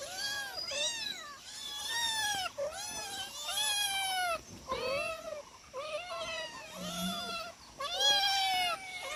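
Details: One of four domestic cats calling at feeding time: a steady run of loud, arched, harmonic meows, each rising then falling, about ten in nine seconds with short gaps between.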